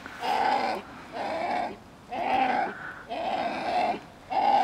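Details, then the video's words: Coyote pups calling to their mother: a series of five nasal, harmonic whining calls, each about half a second to a second long, separated by short pauses over under five seconds, with little else audible. "Coys talking"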